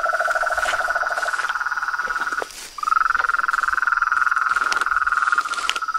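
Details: Symphony of toads, frogs and treefrogs: high pulsed trill with a lower trill at first, a short pause, then the high trill resumes rising slightly, with scattered clicks over the chorus.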